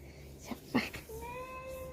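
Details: Domestic cat meowing indoors: after a few short muffled sounds and a brief murmur of voices, a steady tonal meow with rich overtones holds level for nearly a second.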